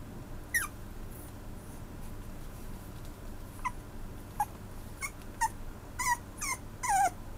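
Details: Maltipoo giving scattered thin, falling whimpers, a few spaced notes early then a quicker cluster near the end, over a constant hissing, rumbling room background.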